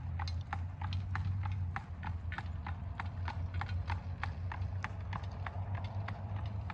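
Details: Horse hooves clip-clop steadily on pavement over a low rumble of buggy wheels, Amish horse and buggy in Lancaster, Pennsylvania, fall 2025.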